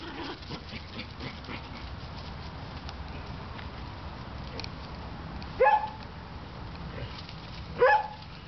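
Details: Pet dog, one of three household dogs named Jesse, Glitter and Rocco, gives two short, sharp yelping barks about two seconds apart near the end, after a long stretch of steady low background hum.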